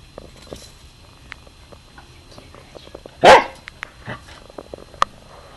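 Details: Three-year-old pet Corgi indoors, playing with a slinky: one loud, short bark near the middle, followed by a softer second bark, with scattered clicks and rustles of the toy around it.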